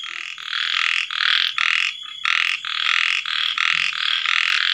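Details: Small frogs calling at night after rain, just after sunset: loud rasping croaks in bursts about twice a second, with a short lull near the middle, forming a dense overlapping chorus.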